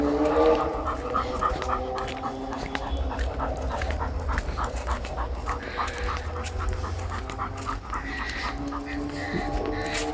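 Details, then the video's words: Panting pit bull out walking, fast regular huffs near four per second, slightly louder at the start, with a low background rumble throughout. "pitbull no rolê caminhada"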